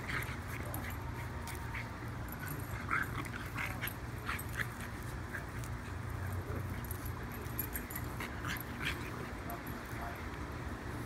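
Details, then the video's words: French Bulldog puppy Austin and Dachshund Stanley wrestle in play, giving short high yips and thin whimpering squeals, several around the third second, against a constant low droning background and some muffled speech. "Frenchie puppy Austin and Dachshund Stanley wrestling/playing!"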